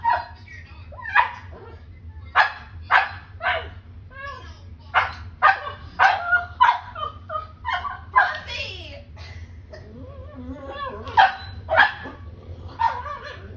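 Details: Playful pug puppies yap in a rapid string of high, sharp barks, roughly two each second, mixed with whiny yelps and squeals above a faint low hum.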